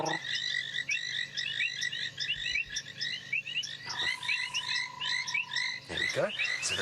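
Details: At sunset on 23 February 2017 in the African bush after rain, a banded rubber frog (Phrynomantis bifasciatus) gives a long, steady mating trill amid a dense chorus of sharp, ticking painted reed frogs, calling to find a mate.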